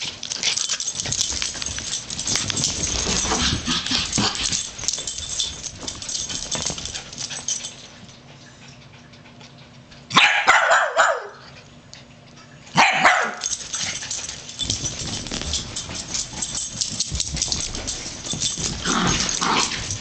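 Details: Daisy and Chewy, two dogs roughhousing, make dense scuffling and thumping play noise, broken by two loud, harsh barks about three seconds apart near the middle, then the rough-and-tumble noise resumes.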